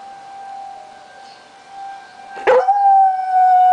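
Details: A steady tornado siren hums on its own until Lazarus the dog breaks in with a rising yelp that settles into a level howl. Recorded during the monthly siren test, July 1, 2009.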